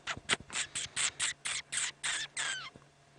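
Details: A family of common dwarf mongooses settling in for the evening at sunset on a hot afternoon, 6 September 2016, Sabi Sand, give rapid, high-pitched squeaky chirps as contact calls within the group; dwarf mongoose.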